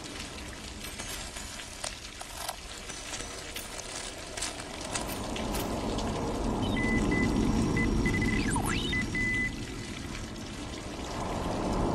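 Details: Steady pouring and trickling water over a low rumble, with faint music-like tones and a brief sweeping electronic whistle near the end; no animal voice is heard.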